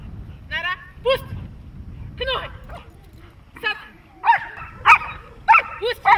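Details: Dog during protection training letting out spaced, sharp barks that quicken into a rapid cluster near the end, mixed with voices and background clatter.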